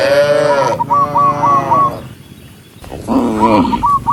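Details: A cow among a herd moving toward the barn gives a loud, strained moo, then after a quiet pause a second shorter bellow, with faint high chirping notes in the background.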